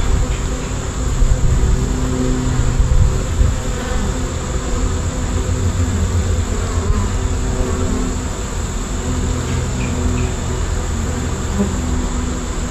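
A honey bee swarm gives a dense, steady low hum from many wings beating together.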